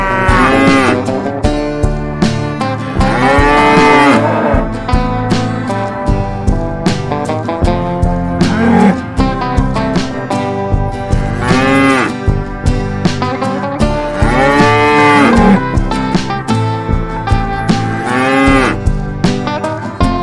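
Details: A group of tame cows, grazing in a vast field and being herded into a farm pen, give long, drawn-out moos that rise and fall over steady background music.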